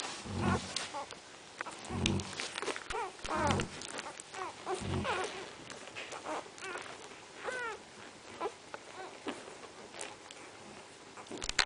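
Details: Central Asian Shepherd Dog puppies whimpering and yelping in a busy stream of short, curved squeals over soft grunts and scuffling noise.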